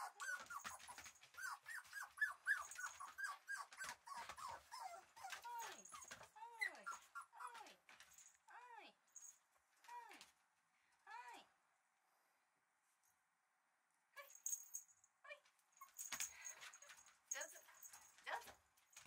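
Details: Red male Shiba Inu puppy giving rapid series of short, arched, high whimpering yelps over the first eleven seconds, then a quiet pause before scattered clicks and rustling, with faint human voices in the background.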